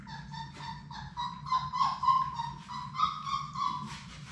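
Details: Six Labrador Retriever puppies from Sadie's litter at play indoors in a puppy room; a continuous run of short, nasal whines, about three per second, rising and falling in pitch, with a constant low hum underneath.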